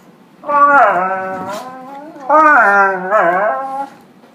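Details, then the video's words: A dog playing with a puppy inside the house sings in its odd Chewbacca or dying-walrus style: two loud, rich, groaning howls with bending pitch, each lasting over a second, the second wobbling up and down. "Weird dog sounds"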